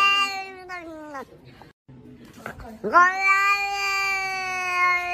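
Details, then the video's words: Domestic cat indoors meowing twice: a sustained call that falls in pitch at its end, a short quiet gap with faint noises, then another loud, long, steady meow. "Funny cats meowing 😂 Cats funny noises"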